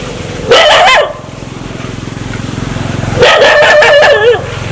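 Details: An aggressive dog wanting to bite gives two harsh, wavering snarls about three seconds apart, with a low rumbling growl continuing between them.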